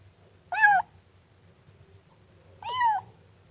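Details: Siamese kitten giving two clear, high meows about two seconds apart, each short and bending up then down, with a quiet background between them.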